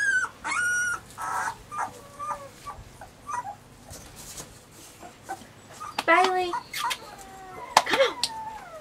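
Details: Several Weimaraner puppies, Bailey, Hailey and Jenny, make brief high whimpers and squeaky yips, scattered and irregular, with a faint human voice and rustling in between, then a louder cluster of yelps.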